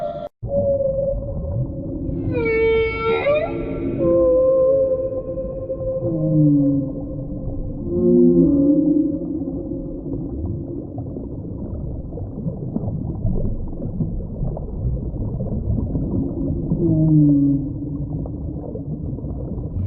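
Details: Whale vocalizing underwater, a bright harmonic cry sweeping down early on, followed by a series of short low groaning swoops and bent moans that recur through the recording against steady rumbling background noise.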